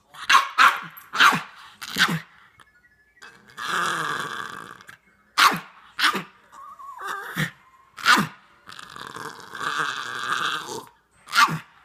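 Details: Pet dog asking for popcorn in a home: clusters of sharp barks broken by longer rough, grumbling vocal stretches and a brief rising whine, repeated over about twelve seconds.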